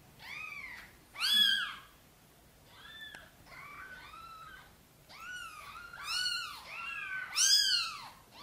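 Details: A mother cat named Sonny gently meows for help getting her tiny kittens into the nest. Many arched meows of varying loudness, several overlapping in quick succession, with a strong call near the start and another near the end.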